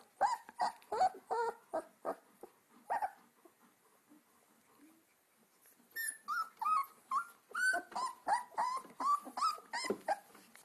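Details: Alaskan Malamute puppies, two weeks old, litter of Sansa, Sorpresa, Spartacus and Swagger: repeated nasal whines and yelps, several per second, falling silent for a few seconds, then a rising, tonal run of cries.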